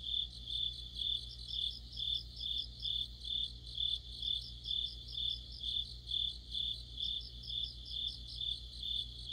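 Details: Autumn insect chorus led by crickets, a bright high-pitched trill pulsing in regular bursts roughly twice per second, layered with fainter overlapping chirps; a steady low-frequency hum runs underneath.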